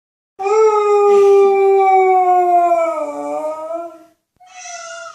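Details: Dog howling in response to animal noises; one long sustained howl of nearly four seconds, smooth and tonal, slowly sinking in pitch, then a brief pause and a shorter, slightly higher howl.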